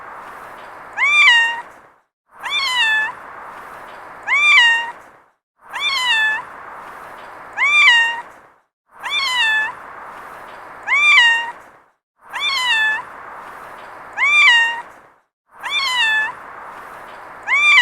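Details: Cute domestic cat meows, presented as a sound effect: a regular series of short, clear, slightly rising-then-falling mews, about one every two seconds, with a faint steady hiss between them.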